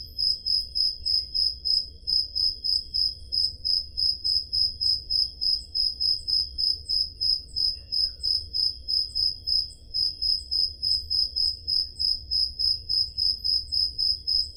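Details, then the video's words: Summer-night crickets in Peloponnese, Greece, recorded with a Zoom H5: rapid, evenly spaced high chirps pulse roughly three times a second without pause, over a soft low background hum. "Crickets Sound Effect"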